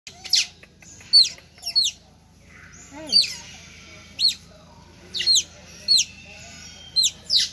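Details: Several otters at Lembang Park and Zoo calling out because they are hungry: bursts of high, sharp chirps with quick downward hooks, repeated irregularly about every half second to second, over a low steady hum.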